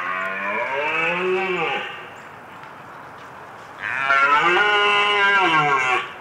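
A red deer gives two long, deep, moaning roars, each about two seconds and dropping at the end, with a short pause between them.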